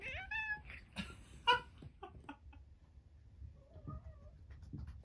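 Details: Harpo, a 13-year-old pet cat and cancer survivor, delivering his toy sea monster, gives one short bright meow followed by soft thumps, clicks and a faint low murmur.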